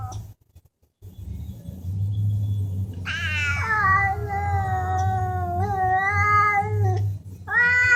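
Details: Talking cats: a steady low hum runs throughout. After a quiet start, a long wavering meow stretches about four seconds with slight pitch bends, then another meow begins near the end.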